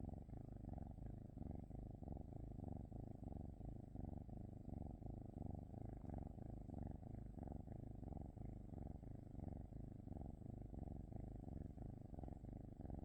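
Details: Continuous low rumbling purr from a cat, evenly pulsing with its breathing roughly every two-thirds of a second, unbroken and steady for the whole stretch with no other sounds.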